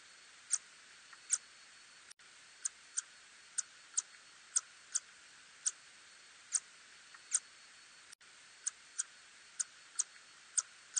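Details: A little tube-nosed bat gives sharp, dry ticking clicks, spaced irregularly about twice a second; recorded in Korea in 2020.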